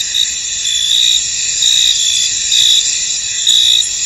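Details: Foggy field at night-like calm with crickets: a high, steady insect drone overlaid by repeated louder trill bursts, about one per second.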